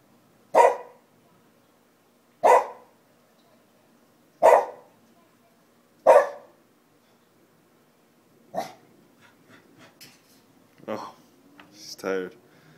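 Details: Kobe, a Shiba Inu, barking at nothing: four evenly spaced sharp barks about two seconds apart, a fifth softer bark, then a person speaking over the end.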